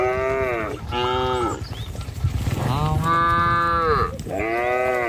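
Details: Herd of cattle walking a rural village road by trees and rice fields toward their pen, lowing loudly: three long, full moos that overlap and follow each other closely, with low rumbling background noise.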